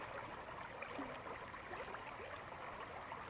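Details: Steady broadband rushing like flowing water or distant traffic, with no clear animal calls.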